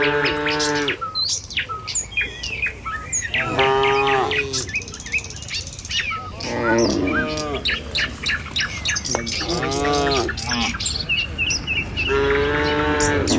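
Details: Dozens of tame cattle moving in the morning along a village road toward their pen. Five loud, drawn-out, harmonic moos about every three seconds, some rising then falling, with birds chirping and twittering high above throughout.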